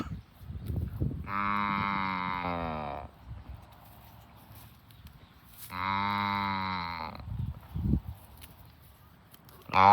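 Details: Tame cows herded every afternoon while eating grass. Two long, drawn-out, rich harmonic moos, each lasting one and a half to two seconds, come about four seconds apart. Soft rustling fills the gaps, and a third moo begins right at the end.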